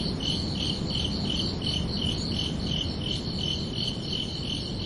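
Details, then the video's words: Under a night sky on a summer evening, crickets give bright, regularly pulsed chirps, close to three per second, above a continuous low droning hiss. "Calming Cricket Sounds for Relaxation"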